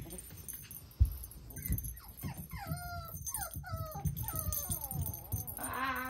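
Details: Puppy siblings playing energetically together, with a string of high whines and yelps, many sliding downward, repeated through several seconds. A low rumble of movement runs underneath and a person speaks nearby.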